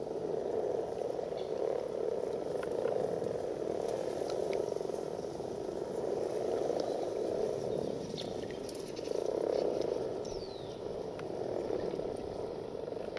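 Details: A chorus of common frogs (Rana temporaria) during mass spawning gives a low, steady purring drone that swells and fades every few seconds.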